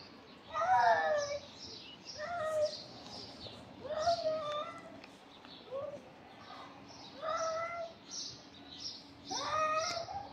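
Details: Stray cats bullying and fighting on the street, giving a series of drawn-out, wavering meows. There are about five harmonic yowls spread across ten seconds, with rising and falling pitch, over a low background hum.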